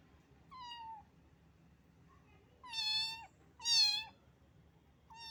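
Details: A little domestic cat, found wet in the rain and shivering from the cold, gives four clear, tonal meows, each gently falling at the end. The last two are louder, and there is a faint low hum beneath.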